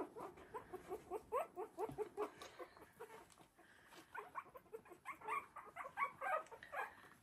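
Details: Litter of three-week-old Havanese puppies at play in an enlarged whelping box, producing many quick high squeaks and whimpers in bursts, softer and overlapping, with faint background hum.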